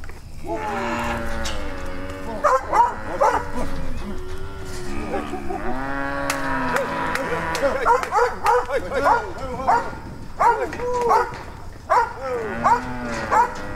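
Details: Mixed herd of Brahma, Hereford and Brangus cattle being rounded up to sort calves; overlapping rising-and-falling moos from several animals, with a barking dog and human voices among the calls.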